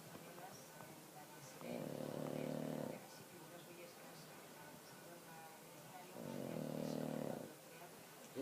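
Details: Mariano the pug snores in two drawn-out rattling inhalations roughly four and a half seconds apart, steady low rasp each time, faint room hiss in the gaps.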